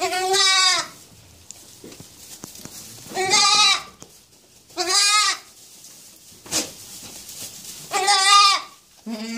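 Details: Purebred Anglo-Nubian goat kid bleating: four loud, wavering, nasal bleats, each under a second long and spaced about two to three seconds apart, over a low background hiss with faint knocks.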